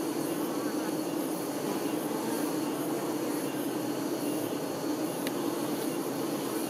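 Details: Honey bee workers tending their queen, a dense steady buzz of many wings holding a low hum with a bright band in the middle range, constant in loudness throughout, with faint hiss above and a single sharp tick near the end.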